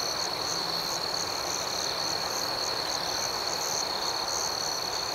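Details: Crickets at night forming a dense, unbroken chorus: a steady high-pitched trill runs beneath an even higher layer of soft chirps pulsing several times a second, with no other sounds.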